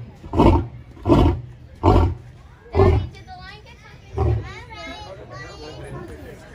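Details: Male lion at the Indianapolis Zoo, kept apart from his females, roaring after getting up; four deep grunting roars about 0.7 seconds apart, a fifth fainter one, with a child's voice and crowd chatter afterward.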